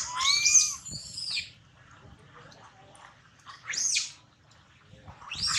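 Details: Hurt after a slide down from a high tree, young monkey Lola cries: a shrill, wavering wail opening into a harsh scream, then two more rasping high-pitched shrieks after quiet gaps.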